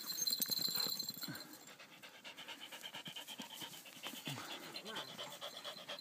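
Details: Poodles playing together, a dog panting in fast, breathy pulses roughly three times a second, with soft whimpering tones and a brief human voice in the background.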